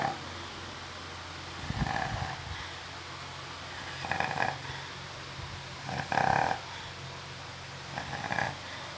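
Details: Female Labrador asleep during a nap, snoring: breathy, hoarse snores about every two seconds, each a rough burst of sound, with a steady low background hum.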